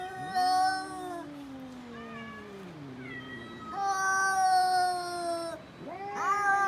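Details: Domestic cat calling with long drawn-out meows and yowls, some sliding downward slowly, others rising then falling, strong and rich in harmonics, with a short sharp cry near the end.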